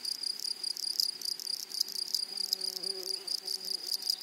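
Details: Meadow grasshoppers buzzing in a high, rapidly pulsed trill over a constant shrill tone, with a faint low humming note underneath in the middle part.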